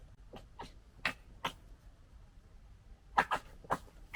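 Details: Foxes fighting and sorting out a pecking order, 2021: sharp, harsh chattering bursts, a few isolated clacks, then a quick cluster of loud rasping chatters after a short pause.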